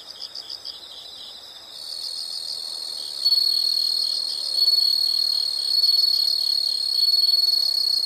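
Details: A few high pulsed insect chirps open, then a continuous shrill whine rises and grows louder in steps, drowning the pulsing beneath it.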